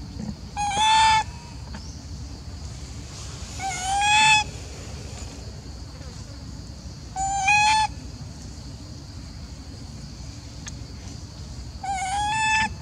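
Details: Macaque Elpida, a golden female in a group at Maha Nokor, calls as if jealous and upset while old female Susie is fed. Four drawn-out, slightly rising harmonic calls come about every three to four seconds over a steady low hum.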